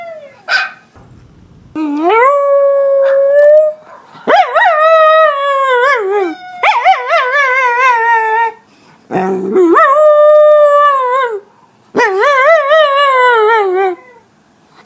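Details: West Highland White Terrier dog howling in long drawn-out tones, each rising then holding steady or wavering, some with quick trembling warbles, repeated in bouts of about two seconds separated by short pauses.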